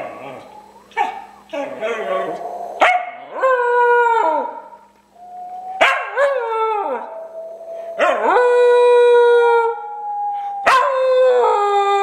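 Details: Cooper, a pet dog, howls in response to an owner's strange whistling; sustained harmonic howls rise and waver, alternating with sharp whistle-like onsets and short yelps, several long drawn-out notes over twelve seconds.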